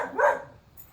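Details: Whiskey, an Alaskan Husky, bored and pulling on his leash, lets out one short harmonic yelp that rises and then falls, followed by quiet background.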